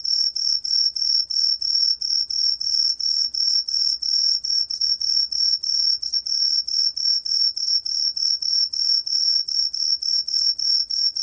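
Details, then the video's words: Steady, piercing high-pitched song of a green pine cricket, pulsing evenly about three times a second without pause, over a faint low hum. "청솔귀뚜라미, 1번 듣기, 곤충소리"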